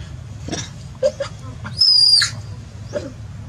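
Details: Baby monkey crying in panic while the troop attacks it away from its mother: a loud, high, sustained scream lasting about half a second, with shorter faint cries before and after over a low background rumble.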